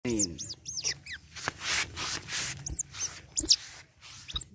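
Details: Young otter being bathed, giving a run of high, thin, arched squeaks that rise then fall, spaced irregularly, over soft background music and a low hum.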